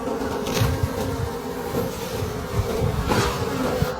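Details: Wild bees at a late-season honey harvest deep in a forest: a steady low buzzing drone that holds through the clip, overlaid by scraping and knocking noises.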